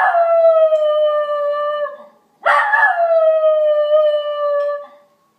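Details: Three-year-old Schnauzer named Kobe howling in response to fire and police sirens, two sustained tonal howls of about two seconds each that start with a rise then slowly sag in pitch.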